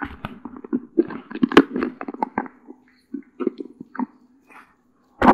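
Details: Cola, a one-year-old female Doberman Pinscher living in California, USA, gnaws her favourite snack, an unprocessed deer antler, indoors; irregular crunching clicks and scrapes come in bursts, separated by short quiet gaps, with a steady low hum beneath.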